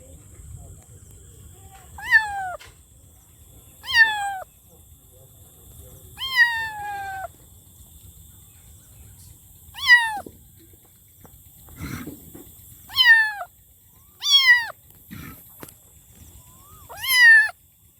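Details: Kitten meowing loudly and repeatedly, eight short falling meows spread over eighteen seconds, some starting high and sliding down, with a couple of soft knocks between calls and a faint constant high whine.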